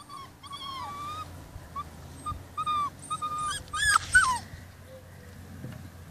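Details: Rhodesian Ridgeback puppies, day 44, relaxing after dinner before going inside for the night; thin whistled whines, some rising then falling, scattered across a few seconds and ending in a louder pair of sliding yelps over a low steady hum.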